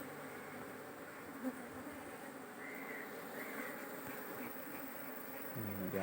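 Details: Honey bees at a hive in Kerala, being smoked while the queen sits within the cluster: an unbroken, low droning hum of many bees that swells slightly midway, with one brief knock.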